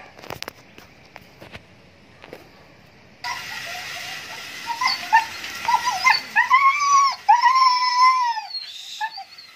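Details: Siberian Husky during mating, giving high whining whimpers: after a few seconds of faint clicks and background hiss, a run of short wavering whines builds into longer drawn-out cries that rise then fall, repeated several times near the end.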